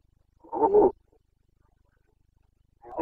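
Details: Carpathian red deer stag roaring in the breeding season in Bucovina, 29 September 2022; one brief harsh bellow, then silence, and the start of another roar at the end.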